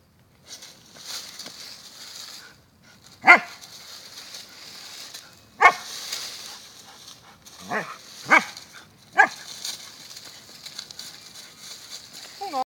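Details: Pet Siberian Husky digging in the dirt outdoors gives a few short, sharp barks and yelps spaced irregularly over several seconds, ending with a thin rising whine; steady hissy scraping and rustle from the digging fills the gaps.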